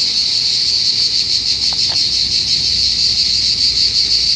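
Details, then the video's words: Loud cicada chorus at a car park near Montpellier, southern France, a dense, steady high-pitched shrill with a fast rippling pulse throughout; a couple of brief, faint lower sounds slip in around the middle. "Zikaden in Südfrankreich ein riesen Lärm, Cicadas en stationnement à Montepellier"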